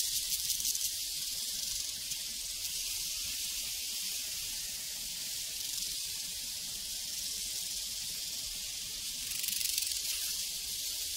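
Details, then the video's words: Massed crickets chirp on a prairie in an unbroken high-pitched drone, with brief bursts of stronger pulsing at the start and near the end. "Sounds from a Prairie Crickets and Cowbells"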